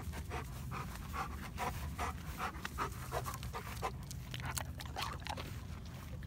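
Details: Dog panting near Midnight, a former stray black dog who appeared starving and scared in December 2017 and now thrives with neighbors and two yellow Labs; quick, breathy rhythmic huffs, roughly two per second, over a low background rumble.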